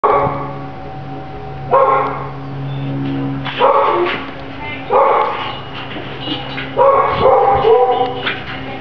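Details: Collin, a one-year-old male Chow Chow awaiting adoption at a shelter adoption center, gives four loud, harsh barks spaced one to two seconds apart over steady background music.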